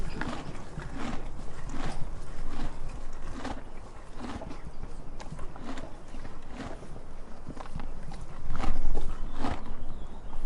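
A donkey eating, with steady crunching chews coming roughly once a second.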